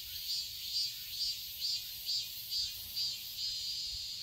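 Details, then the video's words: Cicadas chirp in a summer garden in Seoul, Korea: a bright, piercing buzz throbbing in even surges about twice a second before settling into a steady drone. "Cicadas chirping sounds"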